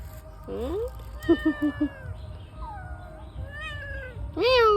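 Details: Domestic cat, called greedy for fish, meowing as people discuss whether it will eat raw fish. There are about five separate meows: rising, falling and wavering, some short and chirpy. The last one is loud and climbs sharply. A person speaks between them.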